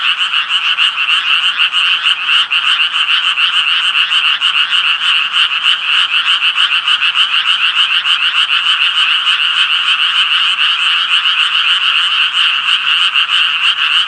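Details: Japanese tree frog croaking in a steady, fast chorus of bright, rasping pulses, roughly three per second, with overlapping callers forming a continuous trill and no other clear sounds.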